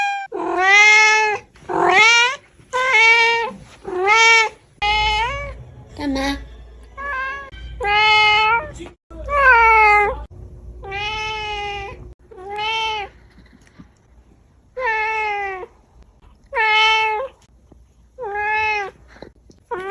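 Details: Domestic cat meows from a compilation meant to attract cats: a quick, uneven run of about fifteen loud, harmonic meows. Some are drawn out and some are clipped, with brief low thumps in between.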